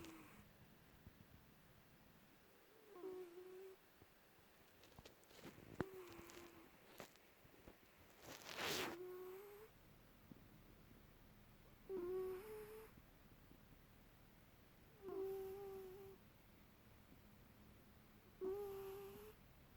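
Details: Domestic cat in Perth, Western Australia, asleep and snoring with a squeaky snore: short, thin, nasal squeaks recurring about every three seconds, each slightly rising then steady, over quiet room hiss with one brief rustle.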